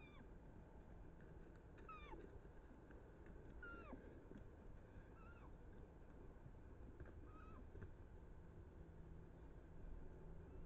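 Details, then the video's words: Roe buck and doe chasing each other on 7 August 2024; thin, squeaky piping calls that rise briefly and then bend down, scattered roughly every one to two seconds through the first half, with a steady low background rumble. "Sarna - Koziołek i koza się ganiają"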